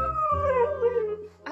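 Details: Female Siberian Husky kept as a pet, reacting to a moving fish toy, gives a short drawn-out howl that slides slowly downward over about a second, followed by a brief higher sound.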